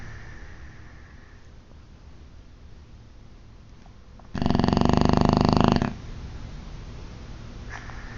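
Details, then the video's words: Ozzy the Boxer dog sleeping indoors and snoring loud: quiet breathing, then one long rattling snore of about a second and a half, followed by quieter breaths. "Boxer "Ozzy" dog snoring loud!"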